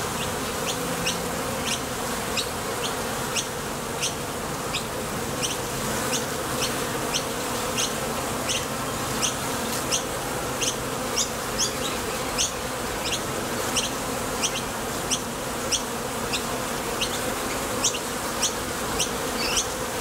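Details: At a Top Bar Hive entrance, honey bees leaving for the field and landing back create a thick, constant buzz, punctuated by rapid, closely spaced bright flicks throughout.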